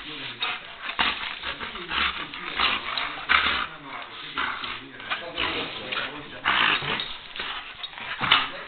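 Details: Female German shepherd, bored and eager to play after a rainy day: uneven bursts of whiny, yowling vocalizations rising and falling every second or so, with indoor room echo.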